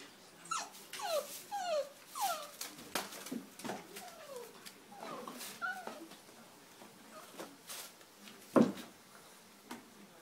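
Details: Bullmastiff puppies at bedtime, filmed in close-up. A string of soft, short falling whimpers, several in quick succession, alongside rustling and a sharp knock in a quiet indoor room.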